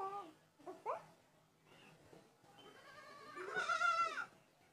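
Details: Goats bleating: several short wavering calls early on, then one loud, drawn-out, nasal bleat near the end that rises and falls with a quavering, harmonic-rich tone.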